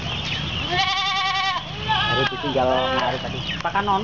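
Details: Goats bleating while awaiting their food ration at an Islamic boarding school, Kapuas, Central Kalimantan, Indonesia, February 2013; a long tremulous bleat followed by shorter overlapping calls amid human talk.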